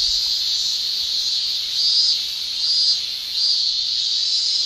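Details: Summer cicada chorus in Japan, male tymbal song: a continuous shrill high buzz that rises in broad swells roughly once a second, the peaks growing slightly louder toward the end.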